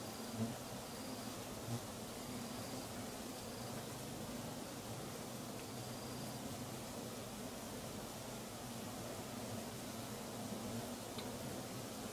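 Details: Wild Giant Asiatic Honey Bees (Apis dorsata) swarming at 5.53 pm to start a new nest beside one abandoned 14 months earlier, Perak, Malaysia; a steady, dense low hum fills the air, with faint thin high tones above.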